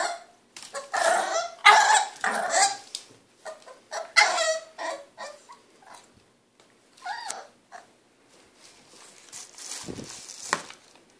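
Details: Cleo, a French Bulldog puppy aged 3 months, grows impatient wanting the hand brush, giving choppy growly barks and grunts in irregular bursts, fading to softer snuffles and whines later on.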